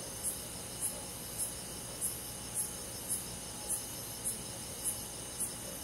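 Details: Cricket heard on a summer night in a country forest, ten crisp, high chirps at a steady pace of about one every 0.6 seconds, with a soft, unbroken insect chorus behind.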